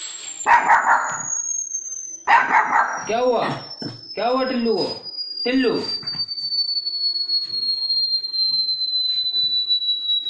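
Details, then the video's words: Pet dog barking in response to its own bark: two loud, harsh bark bursts, then a run of drawn-out, wavering whine-like yelps, over a steady, slowly falling electronic tone and faint background noise. "Tillu barking on own bark"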